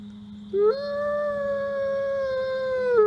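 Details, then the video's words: Captive male ambassador wolf at a wolf conservation center in South Salem, New York, giving an afternoon howl in autumn: a single smooth tone that rises at onset, then holds long and level before dipping at the end, over a steady low hum. "Autumn Howl"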